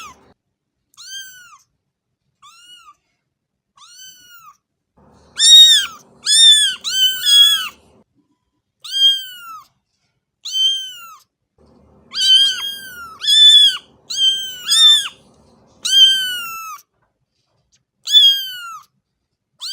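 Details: Small kittens calling in a series of short, high, arched mews, some faint and some loud, often two or three close together with brief pauses between bursts.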